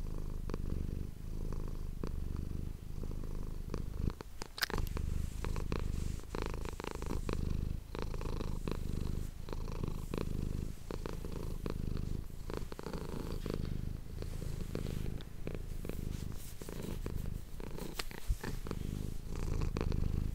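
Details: Domestic cat recorded indoors purring steadily into an ASMR microphone, a low rumbling buzz throughout with frequent crackling touches and rustling noises from handling or fur.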